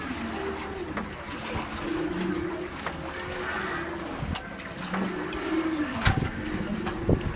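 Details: Humpback whale singing, recorded on a whale-watching outing: a sequence of low sliding moans that rise and fall, with brief whoops and clicks over constant boat rumble.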